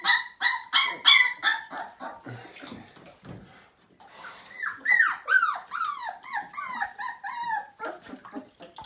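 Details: Siberian Husky pup aged five weeks in its first bath: loud, sharp, yelping cries pulse rapidly at the start, then after a brief lull come softer, drooping whines in a tight, uneven series.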